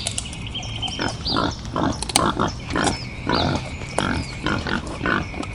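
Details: Wild boar giving rough, noisy grunts in short bursts about twice a second, some clustered in quick runs, with small birds chirping and twittering high in the background throughout.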